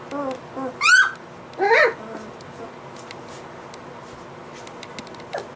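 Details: Three-week-old white Golden Retriever puppies give thin, high whimpers and a couple of louder squealing whines. Finding: Golden Retriever.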